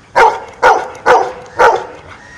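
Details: A dog barks out the answer to eight minus four: four sharp, even barks at a steady half-second rhythm, each ending in a brief tail, with a quiet room behind.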